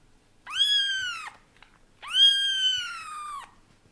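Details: Male British Shorthair cat, indoors, getting used to kittens little by little; two long, clear harmonic meows about 0.8 and 1.4 seconds long, level then dipping at the end, separated by a short pause.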